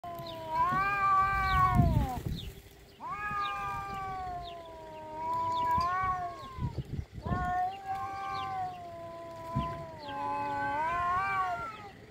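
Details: Cats in a fight that ends with one giving up: long, drawn-out wailing yowls that waver and bend in pitch, four sustained howls of several seconds each, with a brief low scuffling thump near the second howl's start.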